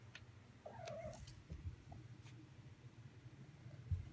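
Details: Domestic cat giving one short, chirping mrrp trill, a brief rising-then-falling voiced note, over a steady low indoor hum with faint rustles.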